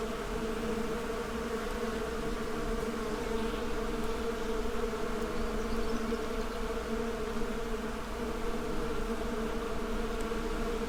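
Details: Steady swarm-like buzzing of bees at work, an even, multi-toned droning hum that never breaks, with small fluctuations in intensity.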